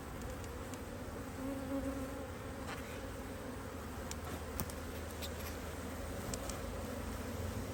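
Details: Buzzing of honey bees at an opened Hive IQ hive in Australia in almost mid-Autumn 2023, in beautiful weather with bees working hard; a continuous mid-low hum, thickening slightly early on, with scattered light ticks.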